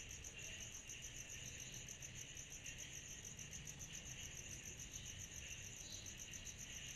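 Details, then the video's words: A summer-night chorus of cicadas, dense shimmering high pulses layered over a broad hiss, set against a noticeable low rumbling background. "Summer Night Cicadas Sound Effect"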